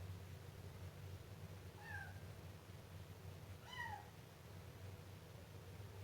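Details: Siamese kitten meowing twice, about two seconds apart, each meow a short clear cry with a slight falling tail, over a steady low background hum.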